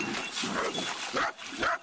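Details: Jagdterrier letting out a few harsh, noisy barks in quick succession, about three bursts in under two seconds, against a rough outdoor background.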